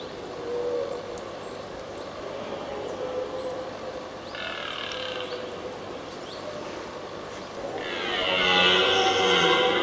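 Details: Red deer stag roaring during the 2023 rut, one of two stags challenging each other from a distance for several minutes before fighting; a long harsh harmonic bellow swells near the end over a steady low background hum.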